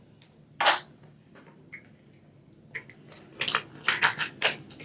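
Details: Clattering and tapping of craft tools and small objects indoors, with no animal sounds.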